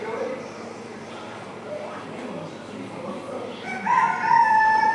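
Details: Seal at a quarantine centre with soft murmuring cries early on, then a strong, steady, harmonic wail swelling up near the end and held for about a second.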